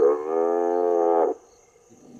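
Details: A recorded African buffalo calf distress call, a loud, strained, nasal bawl over a second long, is played from speakers at a reserve to lure lions; lions can hear it from miles away.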